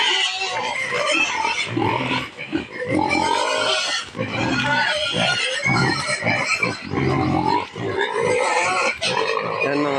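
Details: Several native pigs loudly squealing and grunting while waiting to be fed rice bran: choppy, strained squeals in rapid bursts with a few short gaps, mixed with a man's voice.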